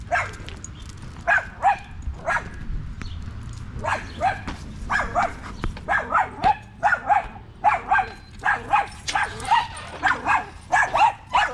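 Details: Evening park session among male dogs, a Staffordshire Bull Terrier among them, with bursts of bright, yelping barks repeated roughly twice per second, growing denser and louder toward the end, over faint low rumble.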